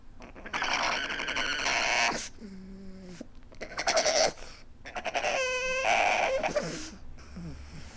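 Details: Pug weeping indoors: snuffling, breathy snorts broken by short nasal whines, with a brief two-tone whimper near the middle and a higher wavering whine later, all close to the microphone.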